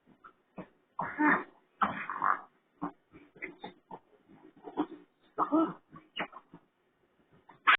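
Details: A raccoon producing sounds likened to a pig's: a rapid, uneven string of short snuffling grunts broken by several louder, harsh squealing bursts, ending on a sharp, high squeal; no other sounds.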